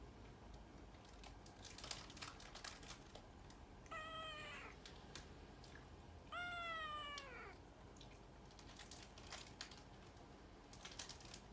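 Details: Two distinct meows from Puran, a cat that meows a lot, about two and a half seconds apart, each a clear harmonic cry that falls in pitch, with clicks and taps in between.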